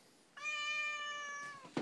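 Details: Vocal Siamese cat complaining at home, possibly for food; after a short quiet pause, one drawn-out even meow lasting over a second that dips slightly at its close, followed by a brief noise.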